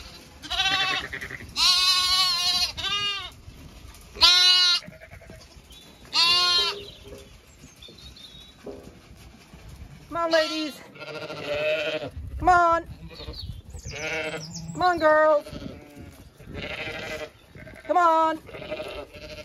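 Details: Zwartbles sheep of the main flock heading to windcharger field for late afternoon grazing on a County Kilkenny farm in Ireland; many overlapping wavering bleats from several animals, some high and some deeper, arriving every couple of seconds.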